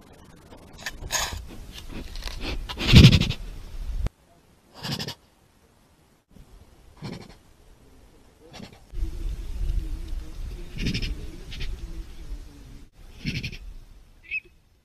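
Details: Jaguars giving their chuffing vocalization: repeated brief nasal puffs, a loud one near the start followed by softer snorts spaced a few seconds apart, with a faint steady hum in the middle stretch.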